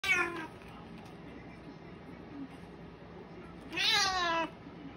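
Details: Domestic cat in Japan, a mother cat holding a kitten down, with a short harmonic meow at the start and a louder rising-falling meow near the end, quiet room between.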